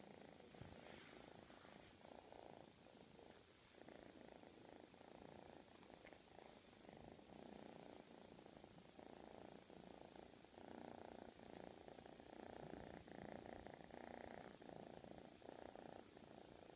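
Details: Purring of a male domestic shorthair cat, a cuddly and playful shelter cat up for adoption that carries feline leukemia virus; a soft, steady, rough rumble with faint rhythmic pulsing throughout, recorded close up indoors.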